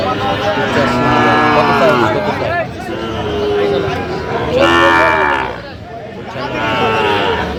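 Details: Three deep, sustained moos, at about one, five and seven seconds, from a Sahiwal bull at a Dhaka cattle market on 3 January 2025, with a babble of market voices and general crowd noise underneath.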